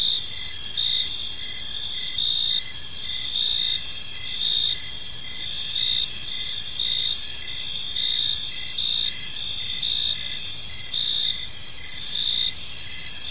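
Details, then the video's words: Crickets in a peaceful park as evening falls, producing a constant shrill trill with rhythmic short chirps repeated steadily, the chorus swelling slightly in loudness at intervals over faint background noise. "Cricket Sounds in a Peaceful Park"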